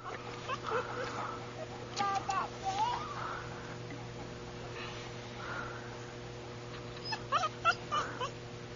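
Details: Newfoundland puppy indoors whimpering in several short bursts of high, wavering whines and yips, with a steady electrical hum and faint speech in the background.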